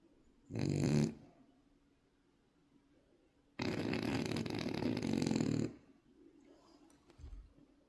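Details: Snoring French Bulldog puppy: a brief grunting snore, a pause of about two seconds, then a longer rough, rattling snore lasting about two seconds; a faint low snuffle follows near the end.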